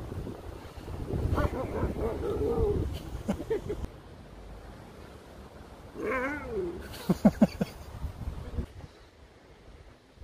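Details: Alaskan Malamute Sherpa lets out a rising and falling, harmonic, yowling howl, first long and wavering, then a shorter, bending cry, followed by sharp clicks and knocks, with a person's voice nearby.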